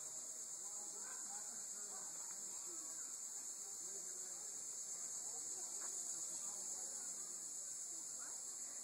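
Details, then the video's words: Linne's cicada calling on September 1, 2012, a steady, unbroken high-pitched electric buzz holding level throughout, with faint human talk underneath. "Tibicen Linnei Calling"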